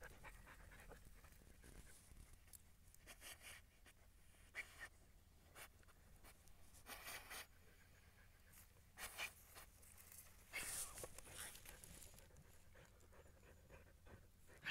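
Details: Siberian Husky on a calm walk, breathing in short breathy huffs that come in uneven clusters, some loud and some soft, with faint rustling and scraping in between.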